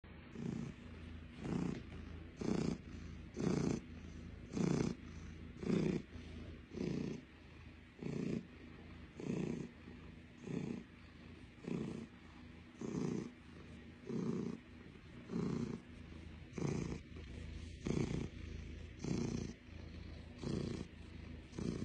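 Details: Russian Blue cat named Blue purring steadily, a low rumbling pulse swelling and fading in regular bursts about once a second, each with a brief breathy pause between, clear and close with little else heard.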